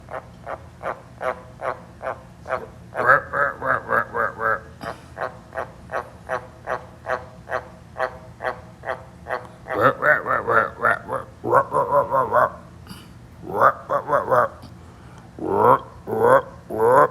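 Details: Pet tree frogs calling: a steady run of short, clicking croaks about three per second, then bursts of faster, louder rattling croaks that stop and restart.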